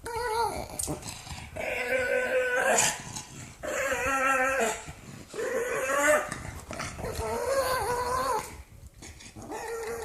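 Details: An angry, mad pug growls in long grumbling bursts of about two seconds each. The tone is moaning and slightly whiny and is separated by short breaths, with about four bouts in ten seconds.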